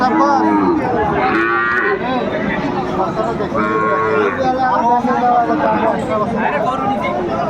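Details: Repeated overlapping moos from cattle at a Bangladeshi market in Kurigram, 27 July 2024, where Sahiwal bull calves are traded, set against a busy background of people talking.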